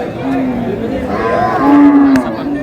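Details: Cow at Aftabganj cattle market on 22 April, among beef cows for sale; two steady, low, drawn-out moos with strong harmonics, the second longer, over a noisy crowd with men talking nearby.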